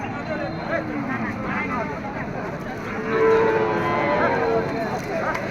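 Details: Cattle, small bulls offered for sale at the Sonali cattle market in Sirajganj, Bangladesh, held Sundays from noon to five in the afternoon; low drawn-out moos with rising and falling tones rise over steady crowd chatter and market bustle.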